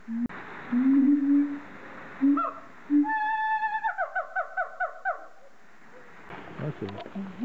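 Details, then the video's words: Siamang at Zoo de Lagos in the Western Algarve, Portugal, 2014: low hooting notes, then a run of rapid rising whoops that climb in pitch and repeat in quick succession, with some background music. "Zoo de Lagos, Monkeys, Siamang, Siamango"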